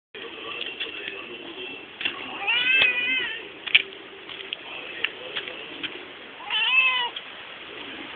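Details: Pet domestic cat meowing while leading its owners some distance; two drawn-out, harmonic, arching meows near the third and seventh seconds, with soft clicks and rustles between them.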